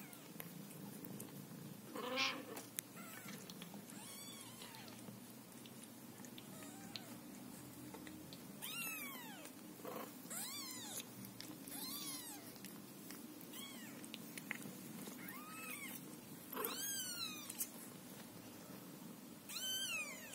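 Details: Scottish Fold mother cat caring for her kittens indoors. Thin, high, arching meows repeat in bursts, denser in the second half, over a soft steady purr-like hum.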